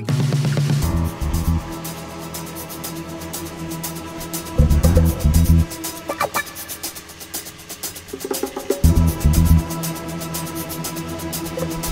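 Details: Electronic music with a steady beat and synth tones plays throughout, with no animal sound heard.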